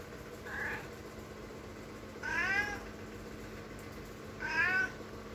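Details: Housecat pleading at a door to go out, giving a soft short mew followed by two louder, drawn-out meows roughly every two seconds, each sliding upward then down, with a faint steady hum in the background.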